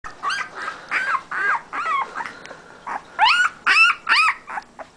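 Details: Siberian husky puppy giving a series of high, wavering whines and yelps, each rising then falling, repeated rapidly about twice a second with short gaps.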